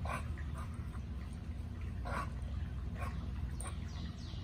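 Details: Two American Bullies at play, 10-month-old Gucci boi and 11-week-old Nala, give brief high whiny yelps and squeaks every second or so against a constant low background rumble.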